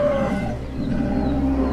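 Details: A threatened koala gives a loud, piercing, harsh wailing alarm cry over a steady low rumble.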